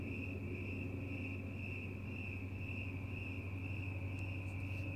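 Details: Crickets calling on a night outdoors with cats; a continuous shrill trill pulses quickly and evenly, backed by a strong low droning hum.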